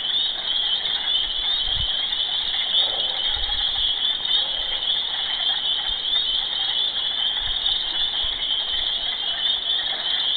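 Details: Frogs calling loudly in a mating chorus heard day and night: a dense, continuous high trilling buzz with no pauses, with a few low thumps underneath.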